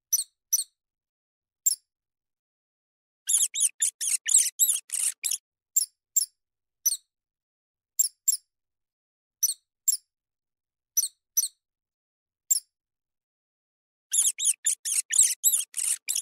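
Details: A field mouse squeaks repeatedly, with thin high chirps every half second to second and two bursts of fast, crowded, chattering squeaks around the fourth and fifteenth seconds. No other sounds are present.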